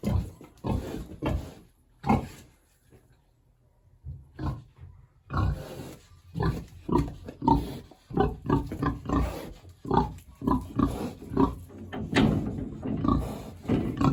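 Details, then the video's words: Big hungry village pig housed in a shed on a warm autumn day: a few opening grunts, a lull of near silence, then dense, overlapping grunts and snorts that grow busier and louder toward the end. "Hungry big pig."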